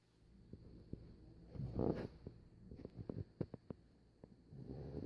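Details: Chubi, a sleeping Shiba Inu Labrador mix dog, snoring: a rough, rumbling breath swells near the two-second mark, faint clicks follow, and the next low snore starts building toward the end.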